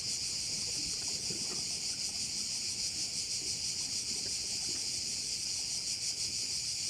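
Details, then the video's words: Chorus of crickets by a bay on Korčula, a constant bright high buzzing wall of sound that throbs gently about three times a second without pause, with faint low-pitched outdoor noise beneath. "view of one of the bays in Korcula with sounds of crickets"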